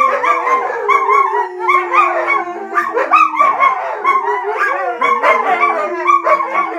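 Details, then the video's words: Young wolfdog pups being raised with a husky howl and talk together: a long, gently falling low howl runs underneath while higher wavering, yodelling cries and yips overlap in a busy chorus throughout. "The Pups Wolf Dogs Howling and Talking"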